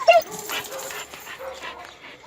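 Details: Oscar, a red-nose pit bull, brought into a garden to mate again with a chocolate red-nose female named Müdür. A sharp, high, tonal yelp sounds at the very start, followed by soft murmurs and quiet human speech.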